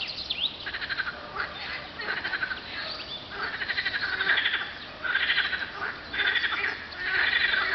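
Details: Frogs calling on a hot spring day, 24 April 2012, at coordinates 50.935752, 34.829053; overlapping pulsed, rattling call trains in bursts of about one second, several callers at once, with steady outdoor background.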